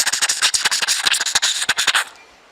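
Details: Tree squirrel in African bush gives a fast, dry, rattling alarm chatter at a leopard, warning other squirrels and animals nearby.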